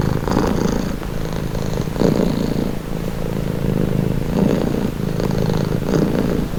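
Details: Purring cat in a calming recording: a soft low vibrating rumble in uneven breath pulses, brief louder rasps about every one to two seconds, and a steady undertone between them.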